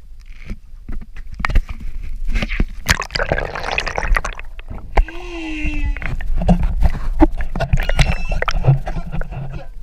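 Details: Humpback whale song heard from an outrigger canoe off Maui, Hawaii: a drawn-out tonal moan sliding downward, among sloshing water and knocking sounds.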